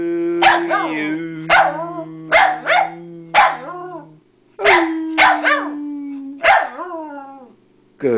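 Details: Female Pembroke Welsh corgi singing along to Happy Birthday, as she does whenever she hears the song; about eight short wavering yowls, each sliding down at the end, over a steady held musical tone.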